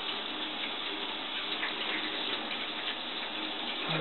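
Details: Running tap water hisses steadily, with faint ticking and a brief clunk at the end, and no animal sound present.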